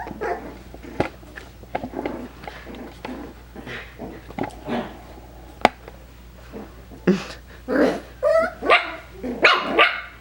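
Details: Indoor recording of five-week-old Coton de Tulear puppies: scattered clicks and scuffling give way to a run of sharp, high puppy barks and yips in the final few seconds.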